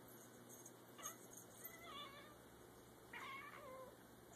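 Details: Two pet cats, Charlie and Grrdezi, chattering at a feather toy indoors: short, thin chirps with wavering overtones, a quick burst near the start and a brighter run of chirps about three seconds in.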